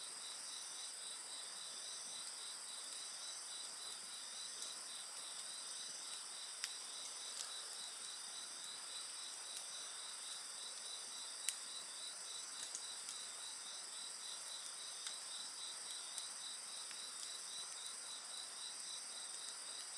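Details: High insect voices at a campfire, rapid beaded trilling repeated several times a second over constant piercing ringing, punctuated now and then by sharp pops and crackles from the fire.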